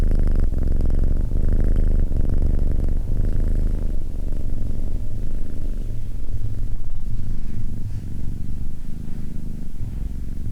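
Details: Cat purring: low, buzzy rumble that swells and eases with each breath, slightly uneven in strength, louder in the first few seconds and softer toward the end.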